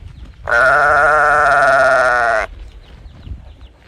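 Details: Calf bawling for its missing mother: a single loud, level, buzzy moo of about two seconds with a faint upward lift at its close, set against soft rustling before and after.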